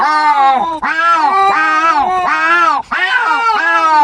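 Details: Domestic cat during a noisy argument with another cat, giving a chain of wobbling, moaning yowls. The pitch undulates up and down in quick arcs, with tiny breaks between phrases.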